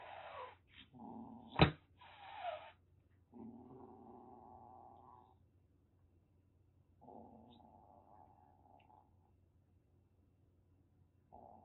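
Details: Threatening rescued kitten, taken in from grassland through TNR trapping in Kagoshima, Japan: a few harsh hissing puffs and one sharp spit, followed by long low rumbling growls held for several seconds in a quiet room.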